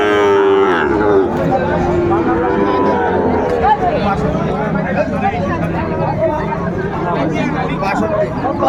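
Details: Sahiwal bull calves at a cattle market in Bangladesh on a December morning: a deep, level moo opens, then fades into a steady wash of human voices and bargaining chatter.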